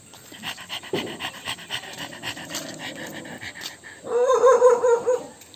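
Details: Domestic dog, described as angry at an annoying sound, pants in quick rhythmic breaths for about four seconds, then breaks into a louder wavering, tonal whine-bark near the end.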